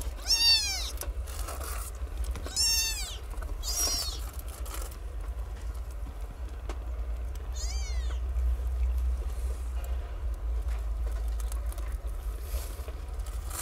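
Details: Newborn stray kittens, nine in a litter, living in cat houses and learning to nurse from their mother: high, bright meows with rising-then-falling arcs, four spaced cries over a steady low rumble of background noise.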